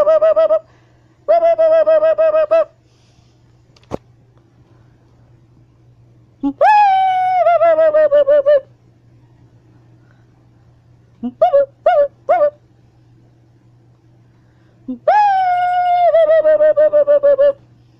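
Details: Siamang gibbon, a lesser ape, howling while hanging and swinging on a wire: loud sustained tonal howls in bursts, separated by silences, with short quick whoops between them.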